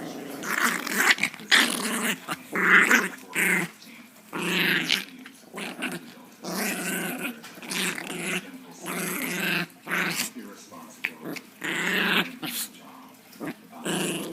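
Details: Female Chihuahua growling angrily while playing indoors; rough, buzzy growls come in irregular bursts, roughly one every two seconds, each rising and falling in loudness with short pauses between.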